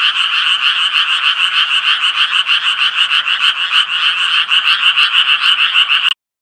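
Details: Dense Japanese tree frog croaking, fast pulsed raspy calls layered into a constant chorus that stops abruptly near the end, leaving silence.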